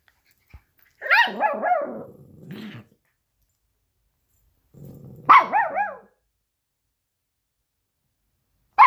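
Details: Two dogs fight over a toy fox: Luigi, a 12-week-old Alaskan Klee Kai cross Pomeranian puppy, and Pooki, a 7-year-old American Eskimo cross Chihuahua. Bursts of high, wavering yips slide into low rumbling growls, in two bouts about four seconds apart.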